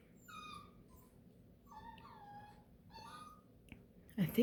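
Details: Overtired Beagle puppy whining indoors: three thin, high, drawn-out whines, each sliding downward, spaced about a second apart with quiet gaps, ending in a brief loud rustle.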